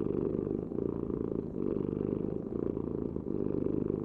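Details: Cat purr close up: a dense, buzzing low drone pulsing in short in-and-out breath cycles about every second, with no background noise.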